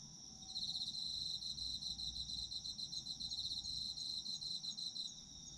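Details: Chorus of autumn insects offered for sleep listening, a high sustained ringing tone overlaid by a fast train of pulsed chirps that runs nearly throughout, steady and dense against a quiet low hum.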